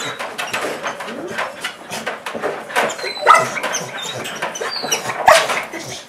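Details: An excited Portuguese Water Dog greets its owner, who has just come home, with high, squeaky-toy-like noises that mix barking, whining and panting all at once.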